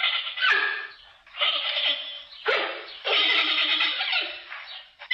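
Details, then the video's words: Giant panda giving a run of harsh, nasal bleating calls, each about a second long, with strong harmonics and short pauses between them. "Как звучит панда? What does a panda sound like?"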